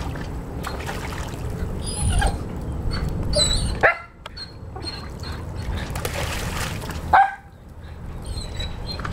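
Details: A 10-month-old male Weimaraner whines in distress after dropping his favorite toy pheasant in the pool, thin high whimpers rising over steady low background noise.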